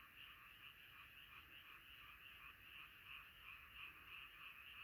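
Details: Chorus of frogs at night, quick throbbing croaks from many callers overlapping at about three pulses a second, a steady continuous rhythmic texture.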